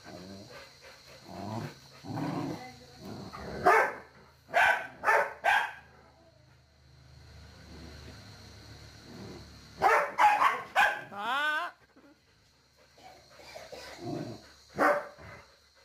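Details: Ridgeback and Pomeranian dogs attack a Rottweiler, with sharp, loud bursts of barking and some growling between them.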